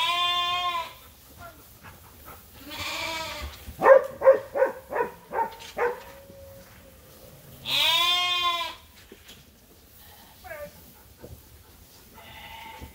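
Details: Farm sheep at Ewetopia Farms waiting for their feed during daily chores: loud, wavering, harmonic bleats open and recur later, with a quick run of short stuttering bleats in between and quieter farmyard noise underneath.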